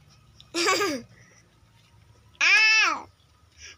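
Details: Village cat (kucing kampung) at feeding time, given rice and Bolt pellets with omelette; two clear drawn-out meows, the first short and wavering, the second longer, smoothly rising then falling, in a quiet small room.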